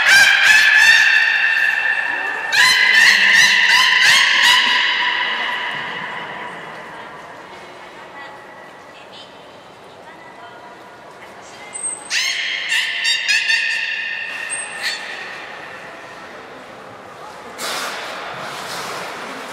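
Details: Beluga Nana in training at Port of Nagoya Public Aquarium, 13 April 2019. Loud bursts of rapid pulsed, harmonic honking notes are repeated in series. High trainer whistles sound midway, and audience chatter runs underneath.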